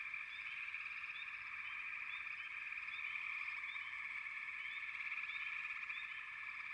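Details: A frog chorus forms a continuous, reedy drone of overlapping trills, with brief upswept chirps scattered above it several times a second and no other clear sounds.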